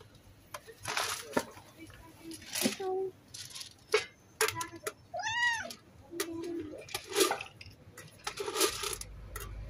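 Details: Stray cat greeting a person and seeking petting and food gives one clear, arching meow that rises and falls, amid a human voice talking, clicks and handling noises.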